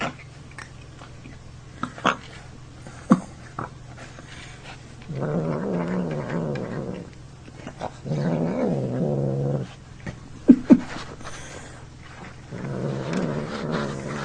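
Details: Male house cat next door, one that dislikes being picked up, growling oddly as it eats; three low rumbling, harmonic growls each lasting one to two seconds, with sharp clicks and chewing sounds in the pauses.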